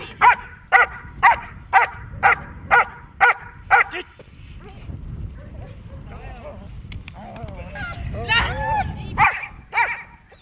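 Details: Dog barking during protection training: eight sharp, evenly spaced barks, about two each second, over the first four seconds, then human voices talking with a few more barks near the end.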